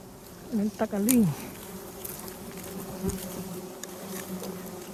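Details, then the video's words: Bees found while honey hunters search mangrove and Khmer forest for hives: a steady low droning hum with a faint higher overtone persists throughout, after a brief burst of human speech at the start. "I saw many bees searching."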